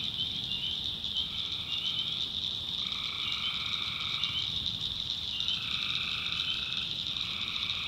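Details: Tree frogs at night in a North Carolina backwoods swamp. Their high continuous trilling fills the whole clip, while lower voices join in staggered, overlapping phrases lasting about one to two seconds.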